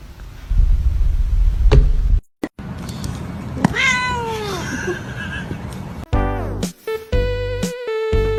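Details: Domestic cat gives one drawn-out meow that slides downward in pitch over a noisy indoor background, followed by loud music.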